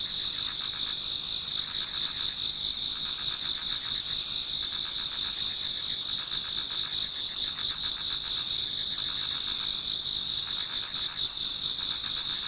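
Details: Pre-dawn autumn insect chorus in a Japanese garden: unbroken high ringing trills from many insects, with bursts of rapid pulsed chirping rising and fading every few seconds.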